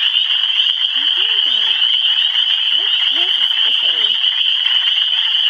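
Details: Dense high-pitched trilling chorus of frogs in Michigan runs without pause while a person talks in short phrases over it.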